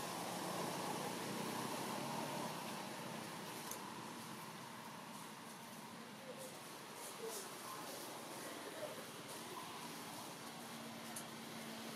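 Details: Steady broadband hum like traffic or a fan, with faint voices and scattered ticks, and no animal calls.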